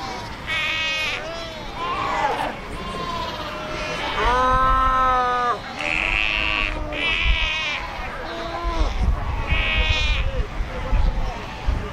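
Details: Crowded fur seal colony at Cape Cross on the Skeleton Coast by the ocean and rocks: loud, drawn-out bleats with strong harmonics, some wavering or dipping, given one after another over low surf rumble.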